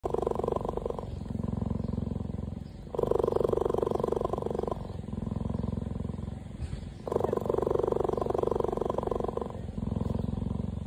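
A cheetah purrs in a deep, continuous rumble that alternates between breathing in and breathing out.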